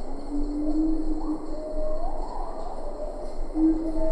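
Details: Siamang calling at medium close range in Ketambe Forest, with a few lar gibbons in the background: a steady low tone held beneath rising, whooping sweeps that climb and level off, over a constant forest hiss.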